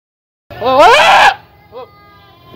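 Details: Young male Boer goat named Coffee, calling constantly in puberty or rut with a changing voice, gives one loud wavering bleat lasting under a second, then a faint short second bleat in quiet surroundings.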